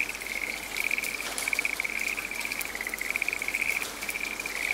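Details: Rain-soaked forest with a frog producing a near-continuous string of quick, pulsed high trills, barely pausing between bursts, while rain hisses steadily underneath.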